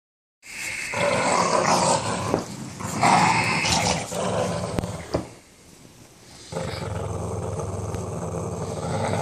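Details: A Boston Terrier growls in rough, rumbling bursts while playing tug of war.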